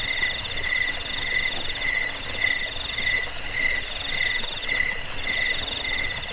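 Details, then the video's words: Cricket chirping used to scare rats away, lull listeners to sleep and teach songbirds; a high shrill chirp pulses about once a second over steady background trilling from other crickets. "Suara jangkik pengusir tikus pengantar tidur"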